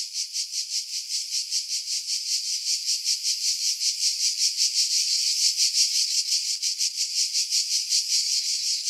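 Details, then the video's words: Cicadas singing in pine trees about 50 m above the sea at Pefkos Bay, Skiros Island, Greece, in July 2018; a dense, high, continuous buzzing chorus pulsing roughly three times a second, recorded on a camera with external mic, wind filtered out. "Cicada Sounds, July 2018 Skiros, Greece"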